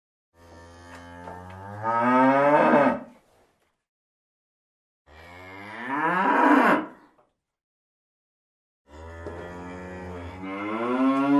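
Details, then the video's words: A cow gives three long, deep moos of about two and a half seconds each, separated by pauses, each one swelling louder and rising in pitch toward the end. "Farm animals - Chiсken, cock, cow, goose, turkey - animal sound"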